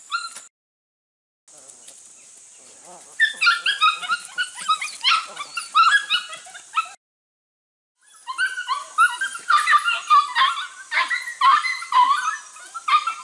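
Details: Registered Border Collie pups, six to eight weeks old from two litters, working goats for the first time in 2019: bursts of high, harmonic yips and barks come in dense clusters. A short silent gap splits the clip, and a man's voice is heard in the background.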